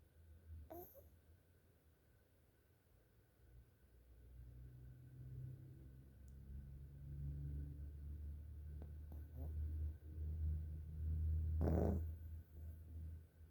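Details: A sleeping pug snoring very loudly. Deep, low rumbling snores swell steadily louder through the recording, with a sharp snorting burst near the end and a quieter stretch at the start.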